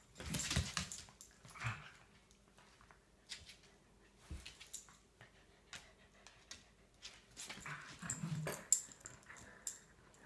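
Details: Shelties at rough play on a deck on a Sunday morning, three dogs together: scattered short growls and whines amid bumps and scrabbling, with a louder burst of snarling play near the end.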